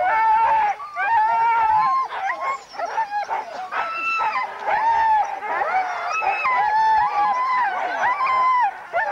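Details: Sled dog race weekend in England's Forest of Dean, November 2001, filmed on VHS: many huskies howl and whine together, steady drawn-out tones breaking into short yelps, one voice rising above the others near the end.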